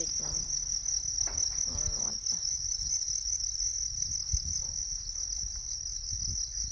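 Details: Constant high, sizzling trill from natural crickets running without a break; a person talks briefly at the start, then the insect drone continues alone over low background rumble.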